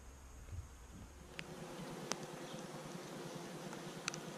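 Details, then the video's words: Newly arrived honey bees, placed on the hive base for 24 hours, now let out to get their bearings, recorded with a GoPro Hero 5 and Session: a steady, broad buzzing hum with a few sharp clicks. "Honey Bees Arrive - Day One"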